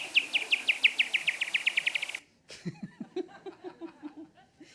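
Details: A pipistrelle bat's echolocation pulses, made audible, come as rapid ticking chirps that speed up as it closes on an insect it has found, ending in a raspberry-like buzz as it catches it; a person then speaks.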